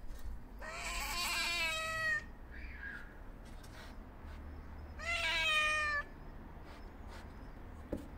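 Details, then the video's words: Hungry white and ginger male stray cat meowing for attention: two long, drawn-out, harmonic-rich meows about three seconds apart, each holding a steady pitch, with a faint short sound between them and a quiet background. "Homeless Cat Meows & Hisses At Me For Attention"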